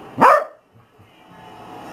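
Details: A dog, either a corgi or a boxer, gives a single short, loud baroo, a half-bark, half-howl that swells and drops quickly, while being asked if it wants a car ride.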